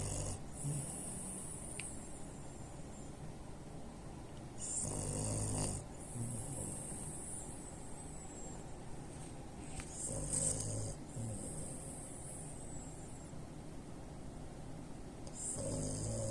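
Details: Three-year-old French Bulldog x Pekingese mix dog snoring very loudly with its eyes open; rough, rasping snore bursts return roughly every five seconds, each about a second long, with quieter breathing between them.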